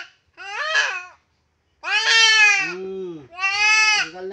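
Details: Goat under castration gives three loud, tremulous, harmonic bleats, the middle one long and falling into a lower, groaning tail.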